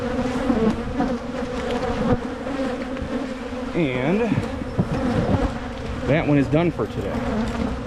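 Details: Buzzing of honey bee colonies during hive splits in Michigan, done to prevent swarming; a steady humming drone is broken by two bursts of wavering, voice-like tones midway and near the end.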